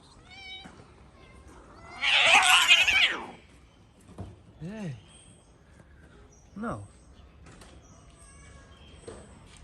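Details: Street cats in Morocco, a tomcat trying to forcefully mate with a calico cat: a loud, harsh hiss lasting about a second, then two separate falling, whining meows, with a person's voice speaking softly nearby.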